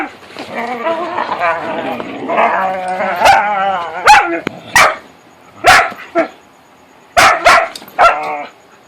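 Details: Several whippets at play in darkness give undulating, moaning, harmonic vocalisations with a wobbling pitch during the first half, then loud sharp thuds and clacks dominate, spaced irregularly across the remaining seconds.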